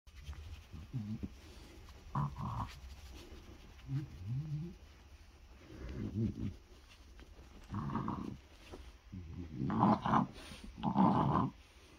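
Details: A French Bulldog seeking attention after breakfast, holding his ball while being rubbed and stroked, makes low snorting grunts and throaty groans in irregular bursts, with a person talking softly to him.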